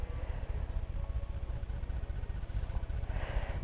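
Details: A steady, low, engine-like rumble with no animal sound.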